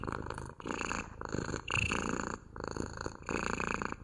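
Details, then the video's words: Cat purring rhythmically, a deep rumbling buzz in about four breath pulses over four seconds, recorded close in a quiet room. "МУРЧАНИЕ | ПОЛЧАСА МУРЛЫКАЕТ КОШКА!"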